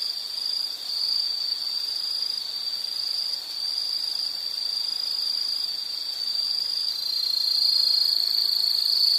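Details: Relaxation soundscape of insects: an even, shrill trilling chorus, swelling slightly louder in the final seconds, with faint higher tones overhead.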